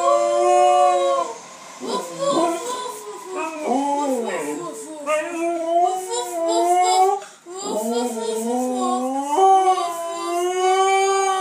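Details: Pet Siberian Husky answering a 10-year-old boy talking to it. Sustained moaning howls alternate with bendy, yodelling "woo-woo" sounds that swoop up and down in pitch, with the child's voice mixed in between.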